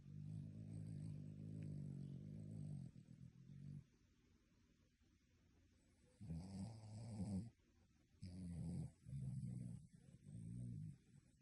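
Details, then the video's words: Sleeping dog snoring loudly, sounding like a human: deep rasping snores in bursts lasting about one to three seconds, separated by quiet pauses, with a low rumbling base and breathy noisy upper tones. "Dog snoring like human!"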